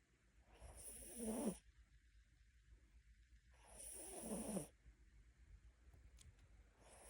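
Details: Mini Bichon dog snoring while asleep: slow, breathy rasping snores roughly every three seconds, each a drawn-out noisy exhale swelling then cutting off, with quiet pauses between.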